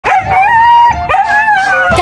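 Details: Siberian Husky on a pet-friendly charter flight from Beijing Daxing to Sanya, calling throughout the journey: a loud, sustained howling wail that holds steady, dips, then resumes with short wavering rises.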